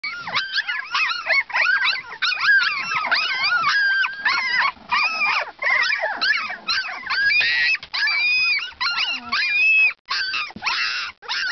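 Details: Two-week-old Siberian Husky pups calling together in a dense chorus of high, squeaky whimpers and yelps, many short arched notes overlapping continuously, a few longer wavering whines near the end.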